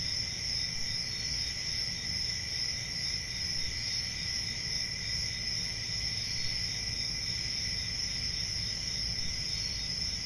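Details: Steady cricket chorus from a peaceful rural summer night, a constant high-pitched buzzing trill in layered bands with little variation, plus gentle low background rumble.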